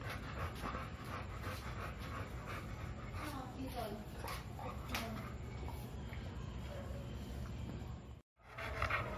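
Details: Milo, a two-year-old American Bully who wants to play, pants in quick rhythmic breaths, with a person's voice partly over it; a brief silent gap near the end.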